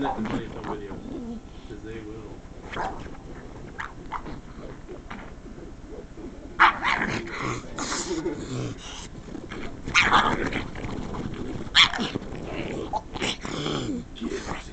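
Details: Pug named Roxy, a female, reacting to someone scratching a couch, which she dislikes; low harmonic grumbles early, then bursts of rough, scratchy vocalizing and scratching noises around seven, ten and twelve seconds.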